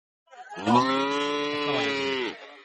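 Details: Heifer calf at a cattle market in Bangladesh gives one long, steady, rich moo of about two seconds. It holds an even pitch and fades at the end. Faint crowd murmur sits in the background.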